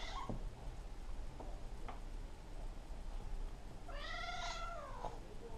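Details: Maine Coon cats at home, a kitten pestering and attacking an adult female to play while she patiently gives in; one long harmonic meow rising then falling near the end, after a brief earlier cry, over steady low background hum.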